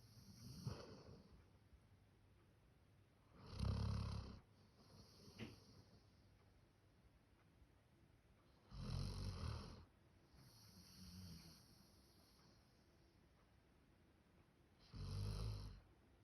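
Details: Max, a male Labrador Retriever born 1 October 2019, snores in a human-like way. Loud, rasping snores come about every five to six seconds, with softer breathy exhales between them, in a quiet indoor room.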